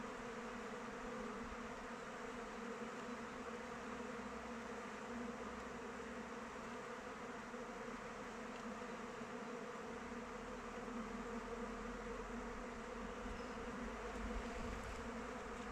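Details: Honey bees flying about the hive in open weather, giving a steady layered drone of many wings that holds level throughout with slight fluctuations.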